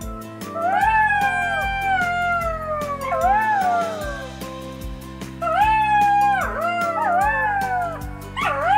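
A black-backed jackal gives wavering, falling howls over steady background music.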